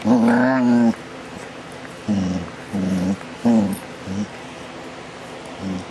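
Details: A dog named DaVinci, filmed in July 2011, makes funny sounds: a long voiced moan near one second, then a series of short low grumbling growls and whines spaced about half a second apart, over steady background hum.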